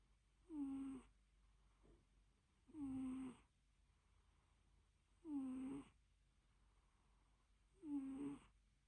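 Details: Cat asleep during a nap, snoring and purring: four evenly spaced breathy snores, each with a faint whistling tone, about every two and a half seconds, in a quiet indoor space; a murmured voice follows.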